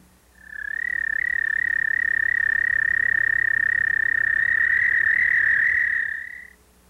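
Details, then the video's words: An American toad in Missouri gives a long, steady, musical trill that holds one high pitch for about six seconds. This is its breeding call, heard from mid-March at temporary ponds and water-filled ditches near forest. "Now, let's listen to the call of the American toad."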